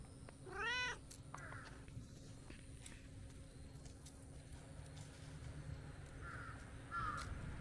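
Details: A brown tabby-and-white stray cat, woken from a nap in tree shade, comes over to play: one clear rising-falling meow near the start, then softer short calls later, over steady low outdoor hum.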